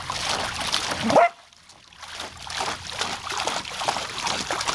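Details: Summer hose play by Savannah, a female Samoyed: one short, abrupt bark cuts through the rushing water, then a moment of quiet before the hiss and splatter of the hose return.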